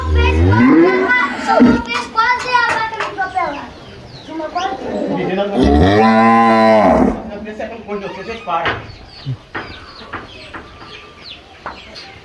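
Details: Cattle on a rural smallholding farm, lowing loudly: a long harmonic moo around six to seven seconds with several shorter bellows earlier, mixed with speech and children's voices in the background.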